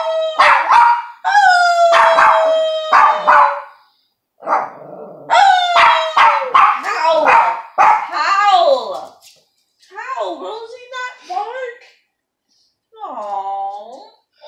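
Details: Pet dog coaxed by its owner into howling indoors: long, drawn-out howls sliding gently downward, then a second round of howling broken into short yelping, bark-like notes, with a human voice joining in.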